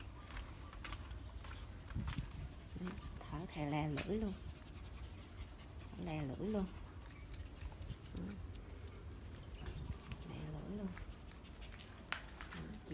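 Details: Pet dogs in Vietnam, a mixed-breed family including Phốc, a three-year-old female cross of a pug-type dog and a Pomeranian, and her son Cục Vàng; short high whining yelps around four and six seconds, then softer whimpers, with Vietnamese speech and household noise.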